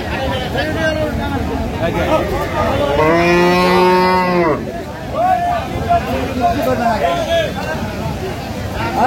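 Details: At the Aftabganj cattle market in Dinajpur, Bangladesh, on 17 June 2025, a dairy cow gives one loud, deep, steady moo lasting about a second and a half. Market chatter and voices continue before and after.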